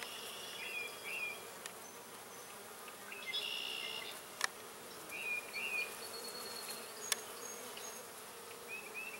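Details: Honeybees foraging on wild purple deadnettle in a field in early spring, bringing in pollen; a steady low buzzing hum with several short, higher wavering whines as bees pass close, plus a few faint clicks.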